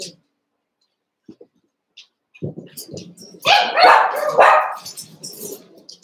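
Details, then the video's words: ['Young Cavalier King Charles Spaniel puppies at play in a pen; soft low grumbles build into a quick run of higher, rough barks, with faint background voices.'] "One Month Old Cavalier Puppies Wrestle and Play"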